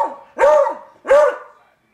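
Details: Pet dog barking indoors at baseball player Barry Bonds on the television: two loud, sharp barks about three-quarters of a second apart, then quiet.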